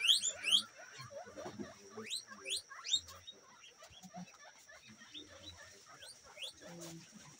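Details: Guinea pigs squeak in quick, sharply rising bursts, with a thin steady whine running behind them.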